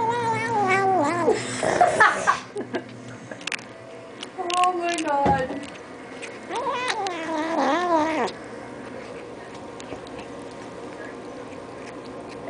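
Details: Squealing over treats, eight-week-old kitten Allan gives a wobbling, high-pitched cry, then shorter yowly bursts around the middle and end. Quieter room noise follows.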